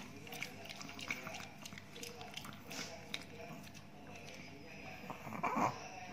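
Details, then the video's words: Ted, a big Chihuahua living in Indonesia, eats new dog food after days of poor appetite. Crunchy, irregular chewing clicks and crackles recur throughout, with soft indoor room noise behind them. "ASMR DOG EATING DOG FOOD"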